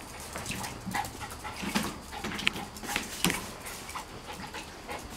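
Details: Dogs at play around a pool at Fresh Air Dogs daycare, among them an 8-week-old Golden Retriever puppy; brief faint squeaks and breathy bursts scattered over a steady hiss, with a few sharper clicks midway.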